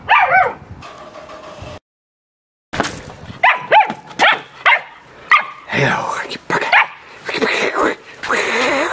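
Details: Samoyed at playtime, giving a run of short, tonal barks and yips in quick bursts with rising and falling pitch, broken by a brief silence early on; a person's voice is heard among the calls.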